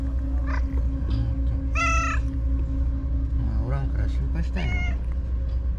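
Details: Lively white stray cat on the breakwater tetrapods, reappearing after a full day gone, lets out two meows about three seconds apart, the first clearer, over a heavy low drone and soft other noises.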